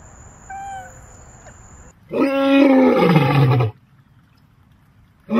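A big cat lets out a powerful, rasping roar, starting strong and falling in pitch as it fades. Before it, faint thin tones are heard, and a second roar begins just as the sound ends.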